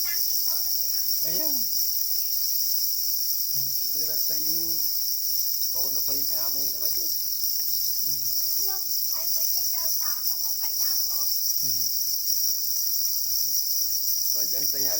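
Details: Black crickets, also called para crickets, calling angrily while guarding their eggs; a steady, unbroken high-pitched ringing trill with a second fainter upper band, overlaid by frequent human voices talking.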